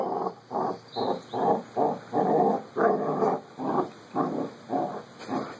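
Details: Puppy friends Carlee and Sonny at play, growling in evenly spaced rasping bursts roughly twice a second, each burst rough and mid-pitched, over a faint constant electrical whine.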